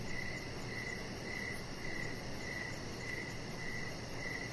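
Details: Evening crickets by a backyard deck, trilling short chirps about twice per second at a steady mid pitch, set against a constant soft background hiss.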